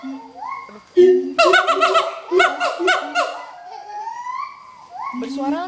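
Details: A pair of adult siamangs (Symphalangus syndactylus) sing a loud duet at Schmutzer Primate Center, Jakarta, Indonesia, on 30 August 2012. It is a territory-advertising song of rising whoops and quick, bark-like hoots that tumble over one another.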